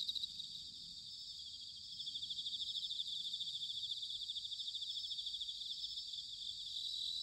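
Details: Bell crickets singing in autumn at Sanuki, Chiba Prefecture, Japan: a steady high, shimmering pulsed trill, several insects overlapping, over a soft low rumble of background noise.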